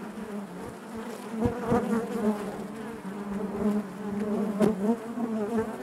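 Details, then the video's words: A hive full of honey bees hums continuously, a low, dense buzz with wavering overtones and fluttering pulses, punctuated by a few crisp clicks. "bees therapy hive natural buzzing sound"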